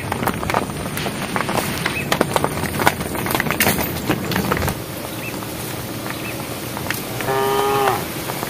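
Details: A herd of cows walking on a project road; near the end a single brief moo rings out, calling the herd, after a stretch of clattering footsteps and rustling.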